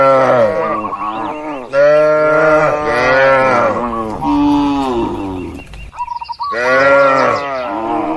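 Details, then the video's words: Tame cattle grazing freely with a herder on broad green rural land; a near-continuous chorus of overlapping low, droning moos from several animals, one sustained call after another, with a brief bird chirp near the end. "Suara Alami sapi & Moo Lucu"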